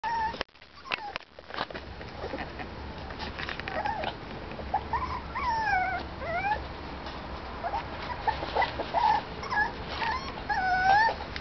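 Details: Parson Russell Terrier puppies, five and a half weeks old, whimpering: repeated high, wavering whines that rise and fall, several overlapping, over a steady background hum and a few handling thumps.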